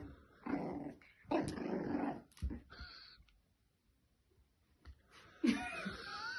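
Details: French Bulldog puppy, female, seeing her reflection in a mirror for the first time indoors; low rumbling growls in bursts, then a short pause and a sharper, higher vocal burst near the end.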